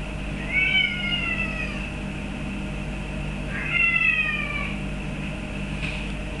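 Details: Birman cat named Boris meowing indoors for a feather duster he is not allowed; two drawn-out, slightly falling meows about three seconds apart, over a steady low hum.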